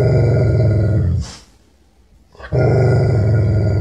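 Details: Nervous, angry, aggressive dog growling: a deep, rough, rumbling snarl that holds for over a second, breaks into a short silence, then resumes just as low and harsh.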